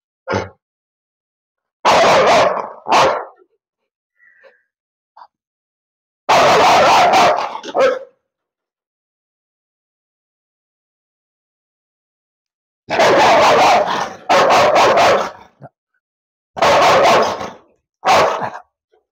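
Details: A biting-prone Rottweiler kept in a kennel, being let out as a challenge, gives bursts of loud, harsh barks in clusters of two or three, separated by long silent pauses.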